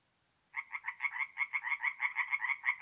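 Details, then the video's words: At an April forest pond in north-east Italy after dark, a tree frog suddenly begins a run of quick, rasping croaks, roughly seven a second, loud and regular against silence. "relaxing forest pond by night with singing tree frogs"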